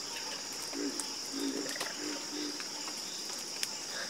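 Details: Night chorus of frogs, low pulsed croaks coming in a run of four or five notes about half a second apart, with sharp clicks and a constant high-pitched insect drone behind.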